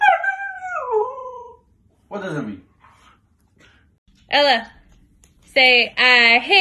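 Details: Ella, a female Siberian Husky, urged indoors by her owner to 'say I hate you', replies with a sliding, falling howl, then a pause and several short, wavering, voice-like yowls at the end.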